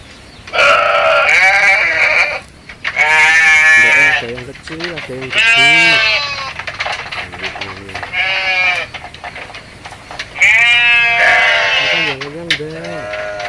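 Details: Goats at feeding time in a village, several animals large and small, bleating in long harmonic cries of one to two seconds, some high and some lower, repeated irregularly, with a person's voice and rural background.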